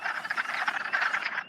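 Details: A dense chorus of hundreds of wood frogs starting to lay eggs on April 30: overlapping, rapid clucking croaks like a crowd of quacking ducks.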